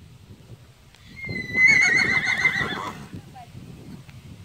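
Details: Palomino Tennessee Walking Horse gelding, eight years old and 14.3 hands, gives a loud quavering whinny of about two seconds, high and trembling, then fading, with low rumbling handling noise around it.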